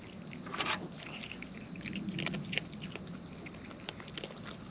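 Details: Wild raccoons eating close up, with soft wet crunching and scattered sharp clicks of chewing over a steady low background hiss, a brief louder rustle near the start.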